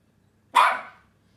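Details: Pet dog giving a single sharp demand bark, a behaviour that gets it scolded; one short loud bark rising abruptly and fading within half a second, otherwise quiet indoors.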